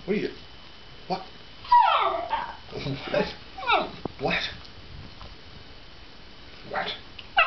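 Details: A Basenji dog, worked up and excited over pizza, gives a series of sliding, yodel-like whines and yips, several swooping down in pitch, while a person talks and exclaims nearby indoors.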